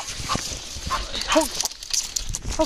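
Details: A Beagle baying during its first encounter with a roe deer outdoors; brief arching, harmonic howl-like bay notes sound near the middle and again at the end, amid rustling background noise and possible human voice.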